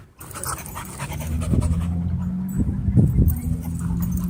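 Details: Dog at a dog park giving low, rough breathy sounds with a steady deep rumble underneath, rising into harsher bursts around the middle and near the end, with faint outdoor noise.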